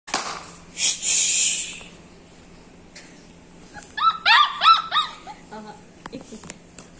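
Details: Basset Hound puppies: a burst of high, quick yelping whines around four to five seconds, preceded by a loud noisy rustle and followed by quieter shuffling.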